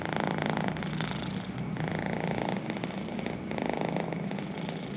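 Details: Pet cat purring steadily, a close, continuous low rumble with soft pulsing swells in loudness, no other sounds intruding.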